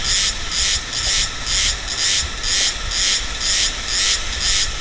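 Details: A Meimuna cicada in Taiwan, recorded November–December, sings harsh, high buzzy duck-like quacking pulses, about two each second, in a regular rhythm that sometimes slows and sometimes quickens.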